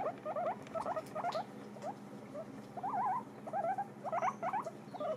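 Guinea pigs chew noisily on dried apple with a soft, crackling patter. Bursts of thin, wavering squeaks rise and fall over the chewing every second or so.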